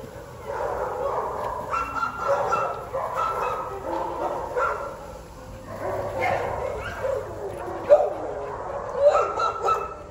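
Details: Alaskan Husky up for adoption, recorded 28 May 2023, giving whiny, yodel-like calls in short uneven bursts, with wavering tones, over background music and a person's voice.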